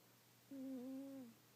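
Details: Sleeping cat Yuki gives one quiet, low, hum-like snore that holds a fairly even pitch for about three-quarters of a second, wavering slightly, against a faint room hiss.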